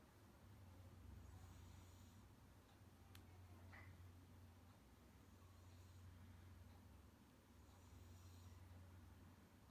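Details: A sleeping pet Munchkin cat named Kuu gives a deep, old-man-like snore, a low droning rumble with gentle hissing breaths repeating every few seconds, plus one faint click.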